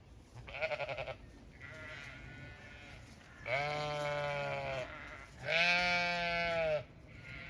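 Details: On a small regenerative farm in County Kilkenny, Ireland, Zwartbles sheep give a run of harmonic bleats, one short and pulsing, then two long steady loud ones roughly two seconds apart, with quieter calls behind.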